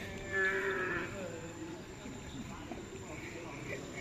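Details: At bull-racing (karapan sapi) practice in Galis, Bangkalan, a cow or bull gives a brief tonal moo near the start. Low rumbling ground noise and faint voices follow.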